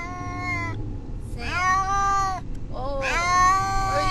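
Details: Distressed domestic cat meowing on the way to the vet, said by its owner to sound like a spoken name; three drawn-out, harmonically rich wails, the later ones rising then falling, over low engine rumble.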